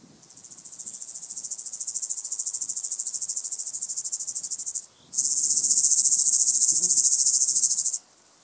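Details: White-headed Toothed Grasshopper singing at Sandberge Oberweiden, Austria, on 15 July 2020: two long high pulsed buzzing phrases, the second louder, each made of rapid even ticks and ending sharply.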